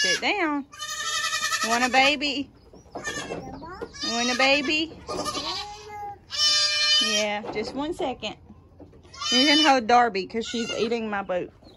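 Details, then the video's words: Loud chorus of young goats during the 2022 kidding season: strained, quavering bleats follow one another roughly every second or two, some long and tremulous, others short, with a human voice talking underneath. "So many LOUD baby goats!"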